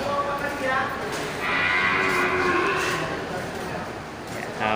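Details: Black male water buffalo with long horns, nearly three hand-spans, at the Geulumpang Payong buffalo market in Bireuen on 10 October 2020, quiet with few buyers. A drawn-out, layered moo lasts about a second and a half, over steady human chatter.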